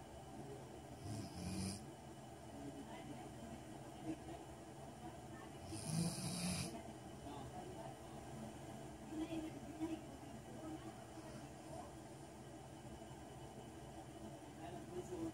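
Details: Kyna, a Golden Retriever, snoring while asleep: quiet, rough low breathing noise throughout, with two louder, harsher bursts near the first and sixth seconds over a steady indoor hum.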